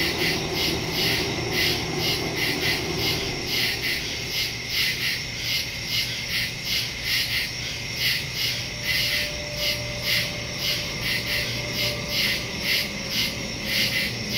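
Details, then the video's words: Crickets at night in the woods, recorded September 2, 2023 on a phone with a stereo microphone: a dense chorus of high pulsing chirps, beating about twice a second over a steady insect hum, with a faint low rumble beneath. "Crickets in the woods at night"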